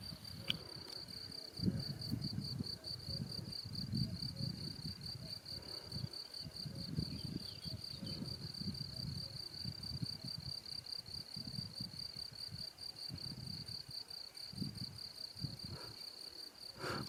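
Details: ['Crickets near Salzburg, Austria, in April 2018, heard during a recovery bike ride. A sustained high shrill trill with a faintly pulsing texture runs throughout, over low rumbling bursts, probably wind or handling noise.']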